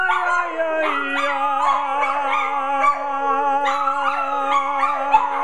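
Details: Household dogs join in a group howl on a Friday night after a spoken cue to sing, layering quavering, sliding howls above an unbroken low droning note, ending with praise of good job.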